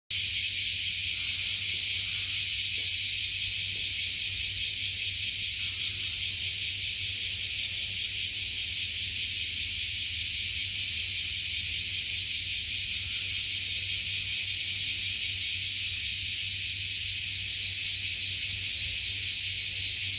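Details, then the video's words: Cicadas in Japan, overlooking Fukuoka Bay, singing all at once after climbing up from beneath a 50-year-old tree: a dense, high, hissing drone with steady fast pulsing throughout, low hum underneath. "the voice of cicadas"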